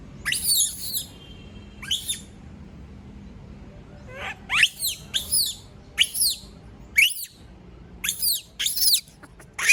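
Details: Lone female monkey screaming after everyone leaves her: bursts of shrill, piercing squeals, some rising and some falling, repeated about every half second in the second half, against quiet low background noise.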